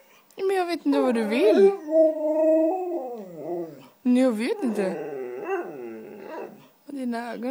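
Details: Begging for cheese doodles, a white female Siberian Husky talks in long, wavering, yowling phrases with held tones and sliding pitch, broken by short pauses, while a person chats back.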